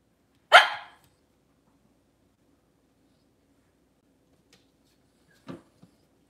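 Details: Cavalier King Charles Spaniel in a kitchen on a cloudy Monday morning, among the kennel's mothers and puppies: one sharp bark near the start, a quiet gap, then a few soft short sounds near the end.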